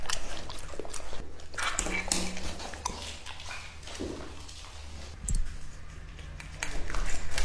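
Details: Raw meat disappears into the jaws of Lucky, a two-and-a-half-year-old male English Labrador Retriever. Soft, damp chomps and occasional sharper bites are spaced unevenly over a low room hum.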